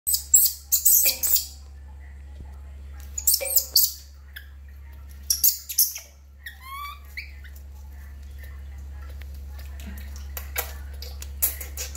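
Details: Baby monkey named Lori crying loudly while being given a bath: a few high, rising, harmonic wails near the middle, after sharp splashy and scraping bursts at the start, with quiet gaps and a faint steady hum.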